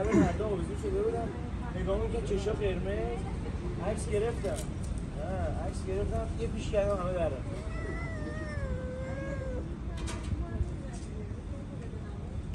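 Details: Stray cat in Iran eating KFC, giving wavering, rising-and-falling meows in quick runs at the start and again later, with a long drawn-out cry near the middle; a person talks throughout, over a low background rumble.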